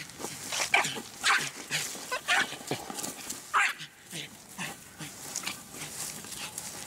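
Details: American Eskimo Dog giving a run of short, sharp, high barks and yips at irregular intervals, some coming in quick pairs, with softer rustling noise between bursts.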